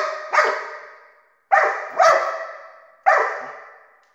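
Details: A dog barks at a laser dot, three loud, ringing barks spaced about one and a half seconds apart, each with a long echoing tail fading into the quiet indoor space.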